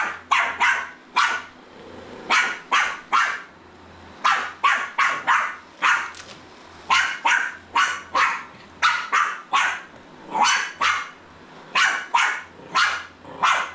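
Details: Jack Russell Terrier puppy confronting a Roomba vacuum, firing shrill, snappy barks in quick clusters of two to four with short pauses, the robot's steady low hum running beneath.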